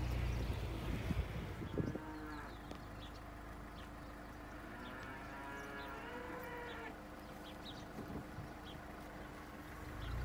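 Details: Cows on a Romanian farm where cheese is made at the sheepfold; a long, drawn-out low moo with layered harmonics lasts several seconds, set against a steady low rumble and faint scattered background noise.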